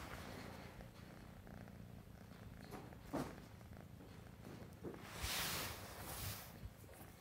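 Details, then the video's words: Purring male RagaMuffin cat with sable classic tabby tuxedo coat, a continuous low throbbing rumble, interrupted partway by a couple of loud breathy rustling bursts. "Sable classic tabby tuxedo boy purrs"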